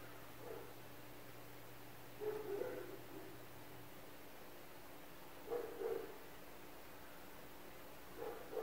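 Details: Neighbours' dogs barking around an apartment building: muffled, somewhat distant barks in short bursts of two or three, separated by gaps of about three seconds, over a steady low electrical hum.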